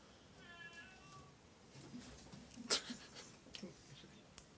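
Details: Domestic cat from a cattery of Oriental and Siamese cats, giving one short, tonal meow that falls slightly in pitch. Faint rustling and a loud clack follow, then quiet indoor background.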